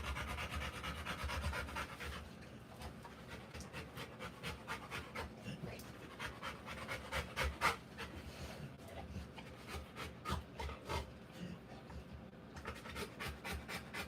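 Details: Rottweiler in labour, giving birth to puppies, breathing in fast rhythmic pants, short noisy bursts repeated several times a second, louder at the start and easing slightly later.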